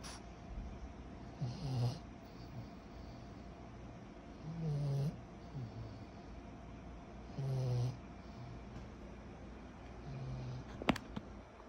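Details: A sleeping 14-month-old pug puppy snoring, said to snore like a human: low rumbling snores about every three seconds, some with a brief higher wheezy edge, in a quiet room with a sharp click near the end.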